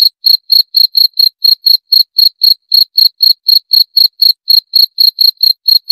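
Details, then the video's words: Cricket giving rapid, evenly spaced high-pitched chirps, roughly four each second, an unbroken metallic pulsing series with a silent background. "30 Menit Suara Jangkrik - 30 Minutes Cricket Sound Effect"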